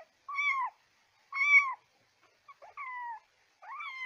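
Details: Kitten sounds for calling cats: two clear arched meows about a second apart, then a few faint clicks, a flatter mew and a rising final cry. Quiet background.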